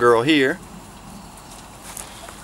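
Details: Weimaraner x Vizsla puppy, three to four weeks old, from a litter: one short wavering whine with a quavering pitch lasting half a second, then quiet outdoor background.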